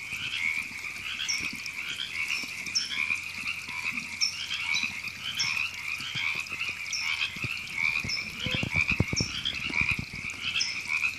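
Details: A crowd of river frogs in Temescal Canyon Park, Los Angeles, California, recorded April 2017, croaking together in a steady raspy chorus. Short high chirps repeat every second or so, with scattered low knocks near the end.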